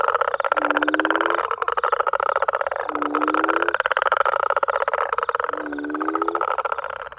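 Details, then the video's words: Same small greyish smooth frog calling in a South African garden, perhaps a young bullfrog; three rough pulsed croak phrases, each led by a short low rising tone, running almost continuously. "it sounds like a bullfrog although bullfrogs are normally much bigger so it"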